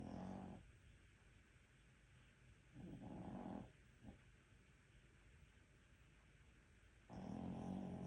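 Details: Maltese dog with rhinitis snoring while asleep indoors: low rasping snore bursts at the start, around three and a half seconds and near the end, separated by quiet breathing gaps.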